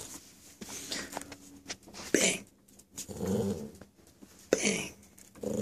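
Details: Puppy being taught to play dead gives low, rough growls, the longest near the middle lasting almost a second, among sharp rustling bursts and a person's voice in a small room.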